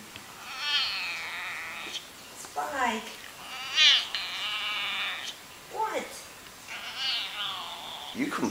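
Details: Domestic cat producing odd, complaining noises as a person scolds it: repeated long, quavering meows, about four drawn-out calls, mixed with short spoken words between them.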